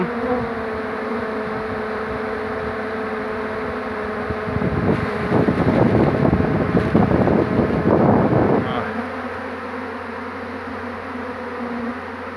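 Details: Bees from a swarm caught on 2 June 2019 after the queen is secured: constant mass humming throughout, broken midway by several seconds of loud rustling and handling noise before the steady drone returns.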